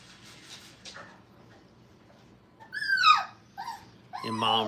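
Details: Five-week-old Brittany puppies playing in a training kennel: after a quiet start, one high whine slides steeply downward, followed by a short yelp and a brief harmonic cry at the end, indoors with faint room noise.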